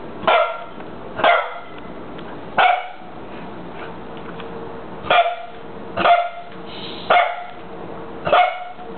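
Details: Barking from Winston, a dog in a cone: eight loud, clipped barks spaced about one to one and a half seconds apart, with near silence between them.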